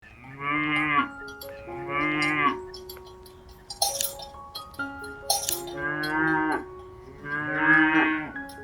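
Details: Cow mooing in long nasal, harmonic-rich calls, four moos each lasting about a second, with steady ringing bell-like tones and clinks between them.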